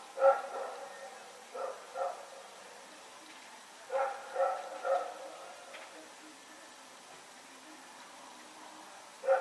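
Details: Recorded 21 September 2018, Rex the dog runs around barking at night: an opening bark, a double bark, a run of three barks, a long quiet stretch, then a final bark, all over steady low hiss.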